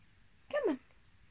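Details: One of two pet cats, Luna and Athena, reacting while the owner pretends to cry: a single short, tonal meow that slides downward in pitch and lasts about a third of a second, with quiet room noise and a coaxing voice nearby.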